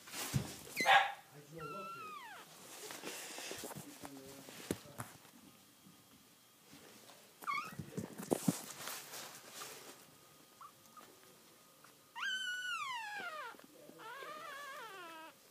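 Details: Newborn puppies crying soon after birth; high, thin whining cries sliding downward in pitch come in separate bursts, with a soothing human voice, rustling and handling noises between them.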